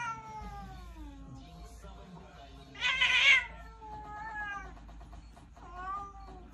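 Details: Chunky domestic cat giving drawn-out, wavering meows that slide downward, with a brief noisy burst in the middle and soft music in the background.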